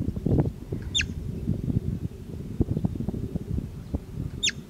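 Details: Steppe marmot, or bobak: two short, piercing whistles falling sharply downward, about three and a half seconds apart, heard above dense low-pitched rustling and thumping noise.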